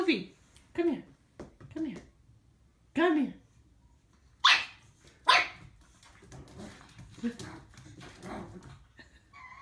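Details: A female pug puppy on her first day home gives high, squeaky yips and sharp little barks in uneven bursts at her own reflection in a mirror.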